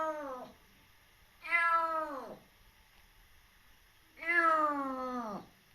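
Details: A rescued kitten a little over three months old, very wary, gives two long falling meows with rich harmonics, each about a second long, from a quiet indoor room.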